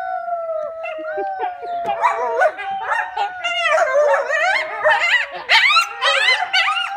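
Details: Coyotes at The Alaska Zoo break into a wavering group chorus of howls and yips, with children howling along.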